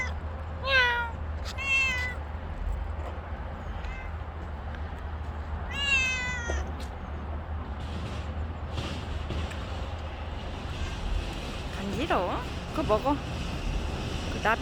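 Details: Stray cat outdoors giving several short meows, two early in quick succession and another around the middle, followed by brief fainter chirps, over a constant low hum and light street noise.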